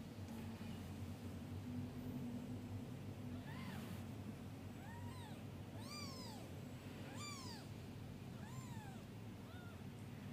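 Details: Newborn kittens being groomed by their mother cat before a nap: a run of about seven short, arched meows at irregular intervals, some thin and high, over a low steady hum with soft rustling.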